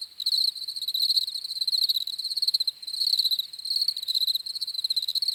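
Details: Crickets chirping in a chorus for relaxing and sleep, a dense pulsed trill around a steady high pitch with fainter overtones, in rapid bursts that swell and dip over about half a second, with no other sounds.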